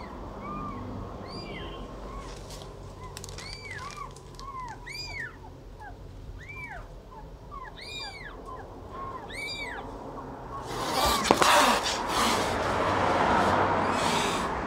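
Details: Cat and kitten at feeding time: a rapid run of short, arched mews, many overlapping, some higher and thinner, over a steady low hum, ending in loud broadband rustling noise.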